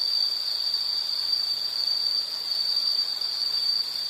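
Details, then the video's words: Insect chorus: a continuous, high-pitched shrill trill holding one steady pitch throughout, with no other sounds. "Sound · Nature Sound of nature sounds scenery L · insect"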